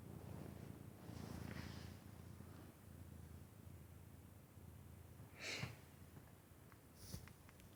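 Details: Vaska, a domestic cat, snoring loudly while asleep: a steady low rumble underneath, with three breathy, snort-like bursts at roughly 1.5, 5.5 and 7 seconds.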